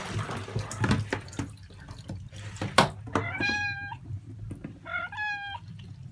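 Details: A 31-day-old Norwegian Forest Cat kitten at its first bath gives two clear, thin, high-pitched meows about a second apart, each roughly half a second long, between bursts of water and rubbing sounds.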